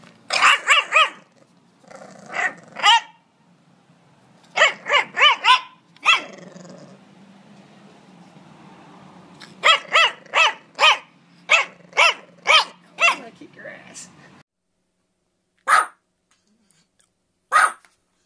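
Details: Puppy barking in quick clusters of high, yappy barks mixed with a low rumbling growl between bursts, then two isolated barks after a short silence.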